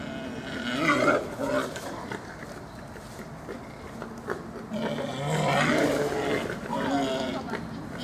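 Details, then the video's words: Wild boars in a forest during the rut, the mating season in autumn: rough grunting and squealing calls in two bouts, a shorter one near the start and a longer, louder stretch in the second half, over constant low background noise. "Wildschweine im Wald bei der Brunft"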